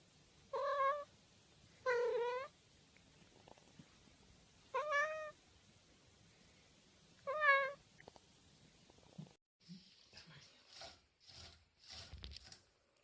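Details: Domestic cat meowing four times at uneven intervals of one to three seconds, each short, nasal and wavering, followed by a stretch of scattered clicks, thumps and rustling noises with no more meows.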